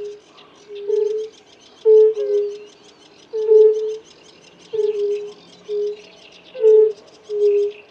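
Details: European fire-bellied toad males, several of them, giving mating calls: brief, tonal 'oo' notes, sometimes doubled or overlapping, roughly every second, amid busy background birdsong.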